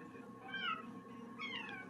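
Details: Pet cat indoors, described as a mischievous troublemaker: two short falling meows about one second apart, the second brighter and higher, with a steady low room hum underneath.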